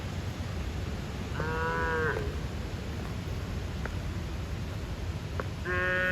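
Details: A bull calf calls its mother with a funny voice, and the cows run towards him. Two drawn-out, nasal moos with rich harmonics, one lasting under a second and a second starting near the end, over steady low farmyard rumble.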